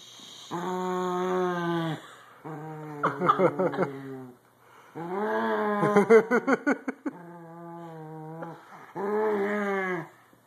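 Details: A female corgi grumbles in long, moaning, whine-like tones broken by rapid, pulsed growly bursts, protesting being told off the bed and moved.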